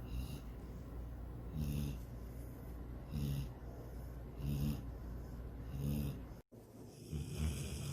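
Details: Sydney, a pet dog, snoring while dreaming of chasing a rabbit and swimming in a lake; low rumbling snores repeat roughly every one and a half seconds, each with a breathy hiss, and a brief dropout near the end.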